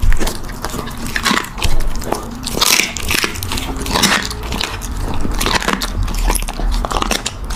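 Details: Puppy eating: irregular crackling crunches and clicky bites come every fraction of a second, with soft low thumps beneath, close and indoors.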